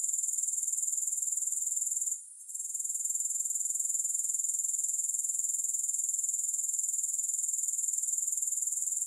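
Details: Grasshoppers producing a steady sizzling, high-pitched pulsed buzz with no music, interrupted by a short quiet gap early on, then continuing evenly to the end.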